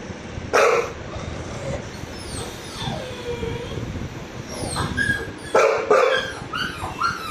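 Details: Apollo, a dog, reacting to a crying puppy: sharp yips and bark-like bursts punctuate a drawn-out falling whine, with short rising whimpers near the close and constant low background rumble.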